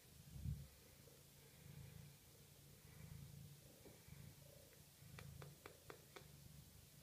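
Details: Maine Coon cat at the HU*Angelpaw Cattery purring indoors: a low, rumbling purr in uneven bursts, each lasting about a second or less. A brief loud thump comes near the start and a run of sharp clicks near the end.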